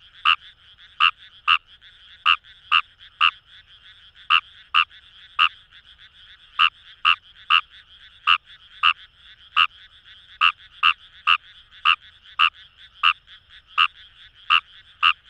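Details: Long sequence of Fejervarya kawamurai croaking from paddy fields along the Kamo River in Itoshima, Fukuoka, Japan: crisp clicky notes, often in quick pairs, about two per second, over a dense frog chorus.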